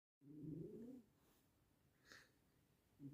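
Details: Sleeping cat snoring: one low, rough breath-rumble lasting under a second, then quiet with a faint short sound near the end and the start of another snore.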